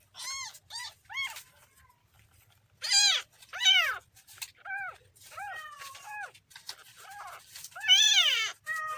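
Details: Kitten giving high, arched meows in quick bursts, some short and clipped, others longer and rising then falling, with brief pauses between groups.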